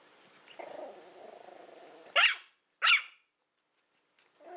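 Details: Toy Fox Terrier Willow, born April 2012, at play with a pig's ear: a low rumbling growl leading into two loud sharp barks, then quiet.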